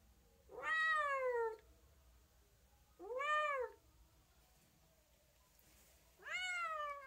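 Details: Three separate cat meows, each rising then curving downward, the middle one brief, spaced with long pauses and a faint low background hum.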